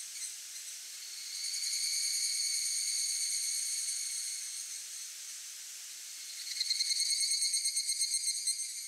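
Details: Evening cicada male singing in search of a female, near a streamside trail. A high, shimmering, ringing tone swells and fades for several seconds, then breaks into a rapid pulsing phrase of quick repeated beats toward the end.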